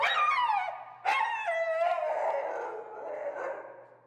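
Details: Extremely vocal feral husky Finnegan protests during heel training, two long falling howls, the second starting with a sharp yelp and trailing into a wavering, gradually softening moan; a low hum sits beneath.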